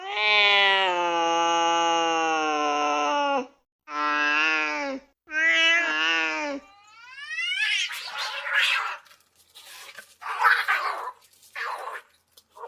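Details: An angry domestic cat gives long, wavering low yowls and growls, then several sharp, breathy hisses.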